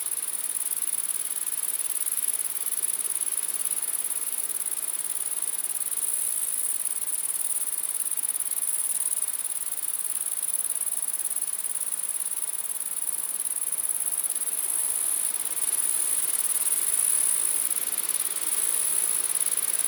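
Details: Mass of grasshoppers buzzing at night: a steady, very high-pitched humming drone that runs unbroken for twenty seconds with only slight shimmer, and no other animals, voices or music.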